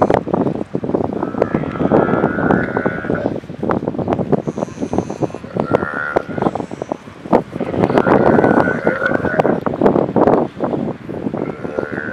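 Galapagos sea lions give drawn-out, bleating calls over heavy wind noise.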